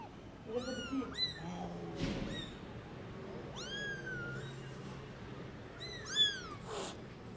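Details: Tiny newborn kittens out in a garden for the first time, meowing loudly: several high, harmonic-rich mews that rise and fall, given in quick pairs and singles, with faint background rustling.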